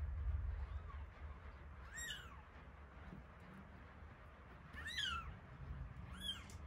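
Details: Feeding time for week-old kittens Terra and Towa, whose eyes are only beginning to open: three high arched mews with bright overtones, one early and a close pair near the end, over a low rumbling hum.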